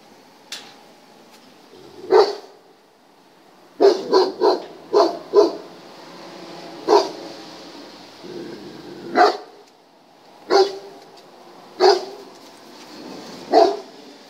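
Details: German Shepherd barking while being tested: mostly single deep barks spaced one to two seconds apart, with one quicker cluster of four barks early on, over low steady background noise.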